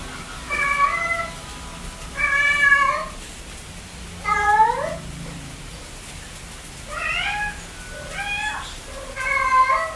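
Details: A pet cat meowing repeatedly: six clear, short meows at irregular intervals of about one to two seconds, each with a brief rise and fall, over a quiet background.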